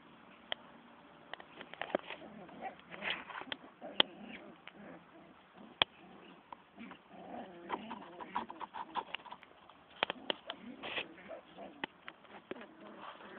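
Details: Siberian husky puppies fighting, giving dense, irregular bursts of squeaky yelps and rough growling noise over about thirteen seconds, with sharp scattered clicks and scuffling between calls.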